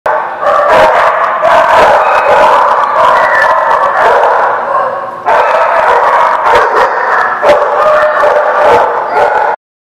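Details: Many dogs at a place called The Barking Lot, recorded 5/13/16, barking continuously in a dense overlapping chorus of yaps and woofs with brief howl-like tones, a short pause near the middle, then the din resumes.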